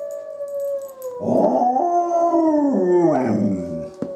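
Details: Izzie the dog howls in answer to wolves: a steady tone, then a louder, wavering, rich howl that rises and falls with several overlapping voices around the middle before settling back to one sustained note.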